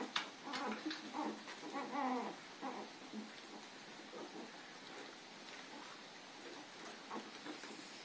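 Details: Puppies chasing Lady on April 4, 2013, give a few short, whiny yips and yelps with a harmonic ring during the first three seconds, then fade into soft rustling and scuffling noise for the rest.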